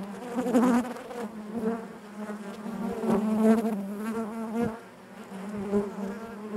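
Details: Dense hum of honey bees within the hive, a continuous low buzz with rich harmonics that rises and falls in loudness, dipping quieter near the five-second mark before swelling again.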